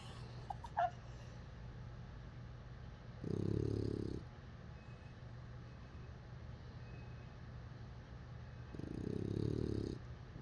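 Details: A bulldog puppy named Lotso asleep and dreaming, giving two low, rough snores about five seconds apart, with a brief squeak near the start and quiet between.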